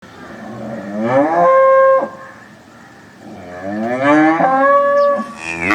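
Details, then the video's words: Cows lowing in two long moos, each harmonic-rich call rising in pitch then holding steady before cutting off, the second following after a quiet gap of about a second and a half. "Cows mooing sound effect 2023 || Amazing animal cow moo noise"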